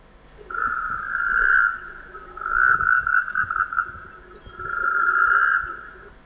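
A frog gives three long, steady, slightly wavering droning notes, each about a second and a half long and spaced about two seconds apart, over faint background rustle.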